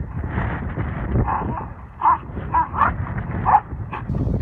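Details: Belgian Malinois named Lighter during a decoy task escape exercise at the Baxton training facility; short yelping yips and whines in scattered bursts over a constant rumbling background noise.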